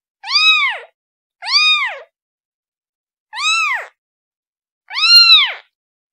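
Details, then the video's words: Kitten calling for its mother: four high, arched meows, each rising then falling, about half a second long and spaced over a second apart, on a silent background. "Kitten Sound Calling Her Mom"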